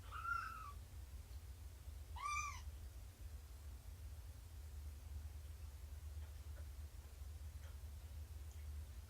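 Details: Nursing mother cat Shelby, about two years old and rescued after being abandoned before her litter's birth, meows twice during morning play with her kittens on 2017-09-24: clear, harmonic, rise-and-fall meows about two seconds apart over low background hum.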